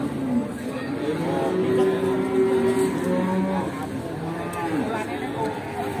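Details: A nine-month-old Pegon calf at the Bekonang livestock market in Sukoharjo, Indonesia. Drawn-out, low, droning moos sound under a busy wash of voices and market noise.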